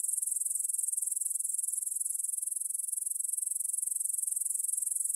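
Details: Meadow grasshoppers stridulating at 9pm on 6 September 2020 beside the Svensky monastery field in Bryansk, Russia, recorded with a Tascam DR-44WL; a high, buzzy, rapidly pulsing trill with a steady rhythm and no other sounds.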